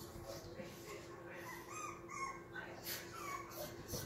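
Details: Two Yorkshire Terrier puppies, babies of a silkie-coated Yorkie named Vern, give soft high whimpers and short squeaky yips in a small room, with faint rustling and shuffling around them.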